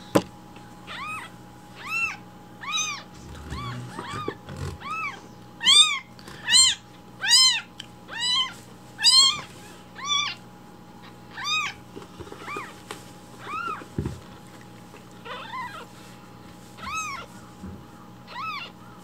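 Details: Baby rescue kittens demand their morning milk with loud cries, a steady series of high, rising-and-falling mews roughly every second, several voices overlapping, with light rustling and a low background hum.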